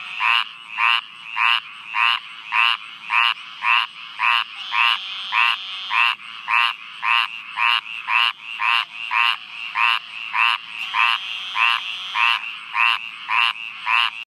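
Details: An American green tree frog (Hyla cinerea), recorded on 3 July 2013, gives nasal, bell-like quonks, nearly two each second, in a steady chorus-like run.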